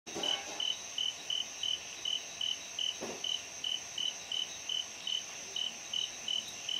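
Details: Orange canthal shrub frog (Pseudophilautus stictomerus), endemic and Near Threatened, in lowland rainforest of Sinharaja National Park, Sri Lanka, at night on 16 February 2011: a steady series of short, clicky high notes about three per second, over a constant high insect whine.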